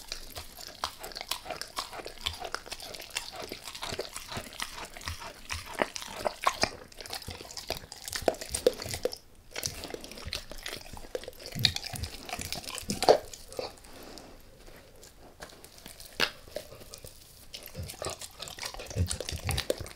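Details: Beef rib being bitten and crunched by Max, a pet dog, with no talking: soft, dense, continuous gnawing and licking clicks, a short pause near the middle, and occasional sharper crunches rising above the steady chewing.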